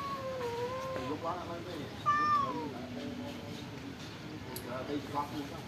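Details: Stray cats living at a pagoda, being fed rice and fish, give drawn-out meows that rise and then fall, several overlapping, with a sharper, higher cry near the middle and quieter mews trailing off toward the end.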